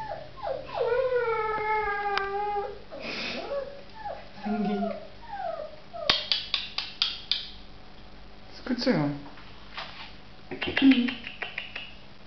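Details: Samoyed pups giving drawn-out, falling, harmonic howling whines in the first seconds, then shorter squeaky yelps and whimpers scattered through the rest, with sharp knocks, clicks and a person talking intermittently.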